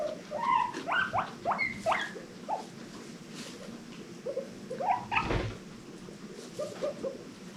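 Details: Domestic guinea pig, one of a rescue-adopted herd, wheeking happily: clusters of sharp upswept squeaks in the first two seconds, then a quieter gap, then more rising squeals near five seconds with a soft thump.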